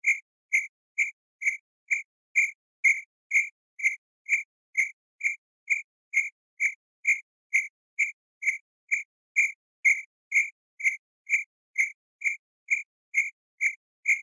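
A cricket gives short, pure chirps about twice a second in a steady, even rhythm.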